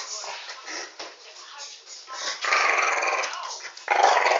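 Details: Dogs teaching each other as Alfie schools the new pup: a low, raspy rumble that swells into two loud, harsh growl bursts near the end.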